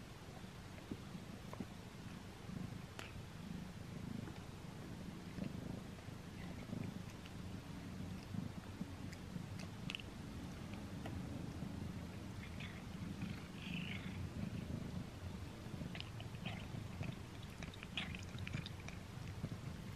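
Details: Recorded close up, the house cat Simba purrs continuously in a deep, even drone while working on his first string treat, with occasional crisp clicks and mouth noises from chewing over the top.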